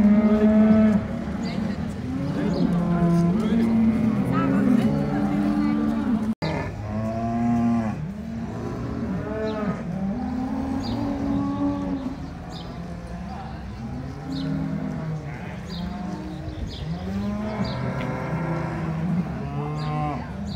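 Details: Brown Swiss cattle at the 2022 centenary cattle show of both Appenzell cantons, Switzerland: several deep, harmonic moos follow one another, some rising and falling in arcs, overlapping at times, over a background of people talking.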